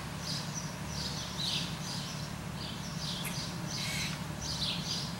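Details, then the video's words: Squirrel barking: a series of about seven short, harsh, raspy bursts, roughly one every 0.7 seconds, over a steady low rumbling hum in the background. "Squirrel Bark"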